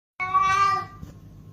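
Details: A single loud, sustained meow from a house cat, bright and harmonic, holding steady for about half a second before fading, with faint low room hum behind it.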